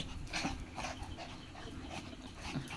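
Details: Pair of Indian Spitz dogs in a play fight, a short high whine near the start and again at the end over steady panting and low scuffling noise.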